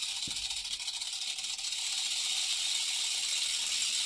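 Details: Steady shrill rattling buzz from a Central American rattlesnake (Crotalus basiliscus) kept in a terrarium, slightly uneven at first, then smooth and loud from about two seconds on, with a brief low thump early.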